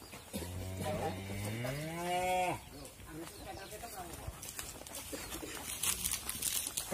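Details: Wisanggeni, Irfan Hakim's sacrificial qurban bull, raging while being loaded for transport to Lembu Benggolo in the Lumbir area, gives one long, deep, rising-then-falling moo of about two seconds, followed by people talking and handling noise.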